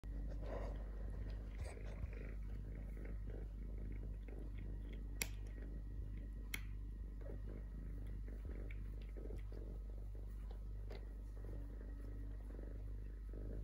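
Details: Stray three-legged kitten, which lost a leg at birth, purring steadily: a continuous low rumbling drone throughout, with a few faint clicks and small handling noises indoors.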